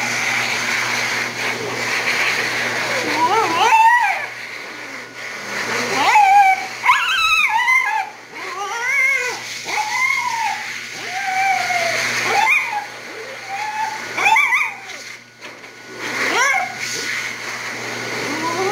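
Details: Female Havanese at a grooming shop, complaining while the dryer blows on her: a run of wavering, high howl-like whines that rise and bend, repeated in bursts across the clip over a steady hum of the dryer.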